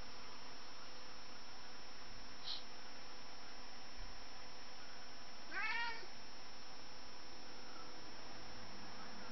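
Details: Zeuss, a house cat chasing a fly around windows, couches and curtains indoors, gives one short, harmonic meow that rises then falls, after a faint tick, over a steady low electrical hum.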